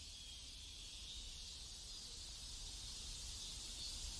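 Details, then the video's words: Cicadas in a neighborhood in South Korea: a steady, high hissing drone with no clear breaks, over a low rumble of background noise. "South Korean Neighborhood Sounds Cicadas"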